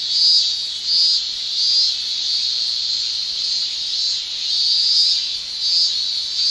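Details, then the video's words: Male cicadas of a Japanese summer produce a tymbal song of high, shrill buzzing that pulses in loud swells under a second apart over a constant background drone. "Japan Summer Cicada Shrilling"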